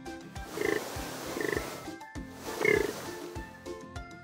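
A warthog gives three short, nasal, pig-like grunts about a second apart, over steady background music.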